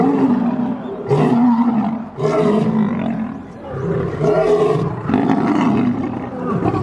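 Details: Snarling roars from two lions locked in a fight: four loud, gravelly bursts of growling, each a second or two long, separated by short breaths, with no other sounds standing out.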